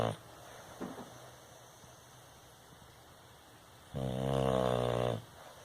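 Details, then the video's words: A sleeping Bulldog snoring indoors: one loud, rough, low rumbling snore lasting just over a second near the end, after faint quieter breaths at the start. "Bulldog Roncando"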